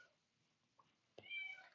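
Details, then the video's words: Male domestic cat meowing indoors in the background, kept out of the room he wants to come back into. A single faint, thin, high meow with clear harmonics, lasting under half a second, after near silence. "i don't know if you can hear that cat in the background but it's super annoying"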